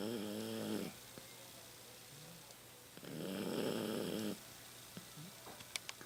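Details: Rocky, a 15-year-old Toy Poodle asleep at home, snoring louder with age: a short, buzzy, harmonic rasp at the start, then about two seconds later a longer, breathy, rough snore, with a quiet room between them.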